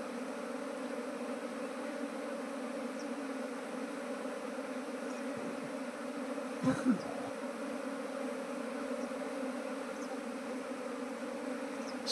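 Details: Steady, unwavering drone of bees at a beekeeper's trap box in Nepal, where the swarm resists entering a modern hive box; a couple of soft thuds break in near the middle.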